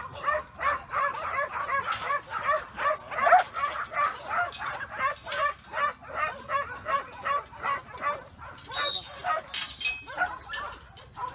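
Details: Steady, rapid barking from Cobber, a strong young black and tan Kelpie working dog that backs and barks on command, each bark short and harsh, repeating almost evenly about every third of a second, with faint background noise.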